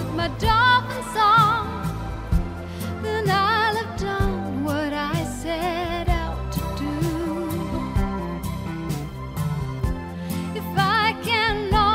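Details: Music with singing and instruments throughout, and no animal sounds heard.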